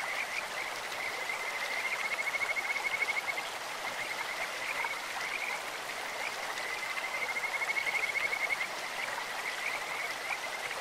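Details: Kajika frogs singing from a clear mountain stream, with bird-like voices: two long high trilled whistles around the second and eighth seconds, each a rapid string of bright notes at steady pitch, set against continuous rushing water.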